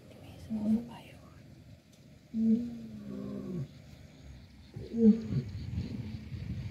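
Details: A young male lion in Kruger National Park gives low, moaning contact calls in three separate bouts, keeping in contact with other lions.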